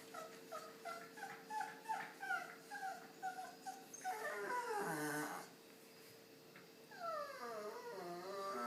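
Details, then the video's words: Male pet dog wandering around indoors making odd, pained-sounding noises while wagging its tail, as if trying to tell something: a series of high, wavering whimpers in quick succession, then longer whining moans; a man speaks at the end. "Why Does My Dog Make Those Weird Noises?"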